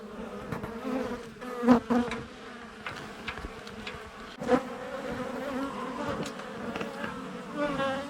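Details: Swarm of honey bees humming from a hive being cut out of an 1850 house wall; dense steady buzz with stacked harmonic bands, a few sharp taps and thumps from work on the wood.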